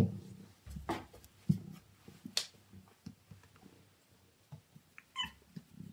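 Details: A male Siamese cat in a small room lets out one brief, bright meow near the end, after scattered low thumps and shuffling movement.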